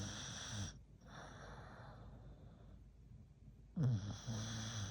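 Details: American Bully named Hulk snoring while asleep: the tail of one low rumbling snore and a soft breathy exhale, then a fresh gravelly snort that rolls into another droning rattle.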